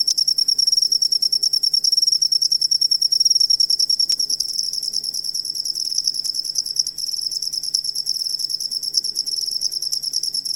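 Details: Cricket chirping, used as training audio for songbirds: a dense, high, buzzy trill of rapid pulses repeated about 200 times a minute, steady at first and then softer and less regular, with no other clear sounds.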